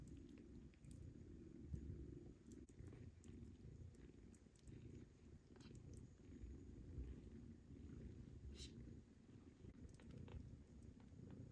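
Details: Kittens nursing from their mother cat while being weaned onto pâté, jostling for milk: a steady low rumbling purr fills the recording, with scattered faint clicks and soft rustles above it.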